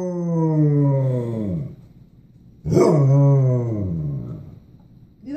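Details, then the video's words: Basset Hound talking back to its owner, two long low moaning howls of over a second each that sag downward in pitch, the second starting with a sharp yelp-like onset; a woman coos questions at the dog around it. "Basset Hound talking to his momma."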